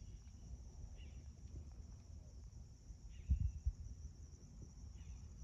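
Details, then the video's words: Crickets trilling steadily and high at dawn at a home in Magma Ranch, Florence, Arizona, August 2021. Three brief bird chirps are spaced through the clip, with a short burst of low thumps midway over a rumbling background. "Spectacular Arizona Sunrise- With peaceful crickets & birds chirping Aug-2021"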